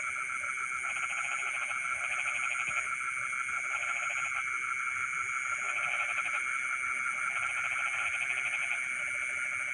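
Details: Midnight frog chorus from rice fields: rattling pulsed croaks come in bouts about every two seconds, alternating with quieter gaps, while an unbroken shrill insect drone continues underneath.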